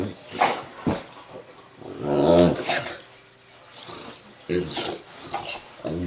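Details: Duff, a one-year-old English Mastiff on his first birthday, indoors with a mild ear infection, dislikes his ear medication and rolls around the floor; low harmonic groaning grumbles come in drawn-out bursts between quieter rustling.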